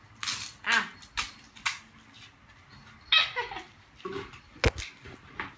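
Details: Cooper the beagle, a pet dog indoors, playing with his recycled Coke bottle, gives short, harsh, noisy barks in irregular bursts about a second apart, with plastic clatter and a sharp knock in between.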